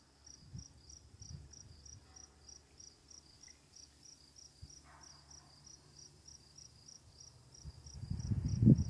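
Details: Crickets at night, with running water and quiet lightning, giving steady high-pitched chirps about three per second throughout, over a low rumbling background that swells near the end.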